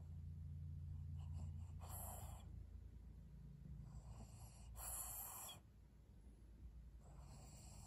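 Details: Maria, a 12-year-old fawn female senior pug in Japan, begging for a treat: rough breathy snorts in bursts near the second, fifth and seventh seconds over a steady low rumbling hum.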